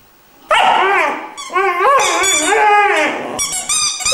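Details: Irish Wolfhound puppy aged three months sings a sequence of tonal, bending howls that rise and dip in pitch, each note sliding into the next, with a brief higher yip near the end.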